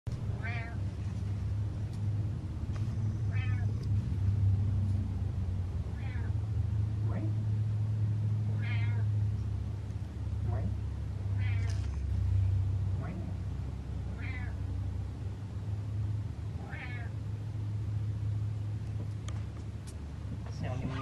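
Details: Domestic cat named Butters making small talk with her owner indoors: a series of short harmonic meows spaced a few seconds apart, over a steady low hum from a television or appliance.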